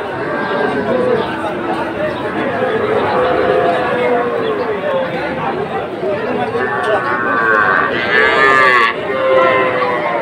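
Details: Young Sahiwal bull calves at Ambari livestock market, Kushtia, Bangladesh, 24 May 2024: repeated long, wavering moos from several animals, one louder bellow near the end, over steady crowd noise and talking.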